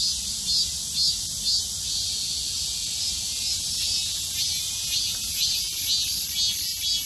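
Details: Cicadas singing in midsummer; a dense, continuous high-pitched buzzing chorus that pulses gently about twice a second, steady throughout with no other clear sounds.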